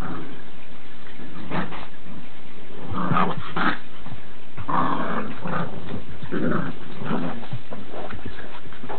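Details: A pair of Boxer puppies aged ten weeks make rough, low growls in irregular bursts, mixed with soft whimpers and rustling movement as they play.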